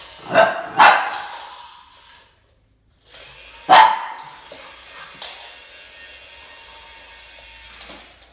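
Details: Max, a Boston Terrier facing off against a snake, gives two rapid sharp barks, then a single bark after a brief silence. Quieter rustling and faint hissy background noise follow.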